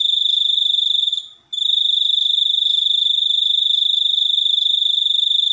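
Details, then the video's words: Cricket trill, high and ringing, made of fast, even pulses. The sound breaks off briefly near the middle, then resumes unchanged. No other clear sounds. "suara jangkrik super unik"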